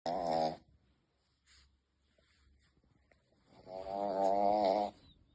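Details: Young male Shih Tzu snoring, seemingly startled by his own sounds: a short, buzzy, wavering snore at the start, near-silence, then a longer, louder, vibrating snore toward the end.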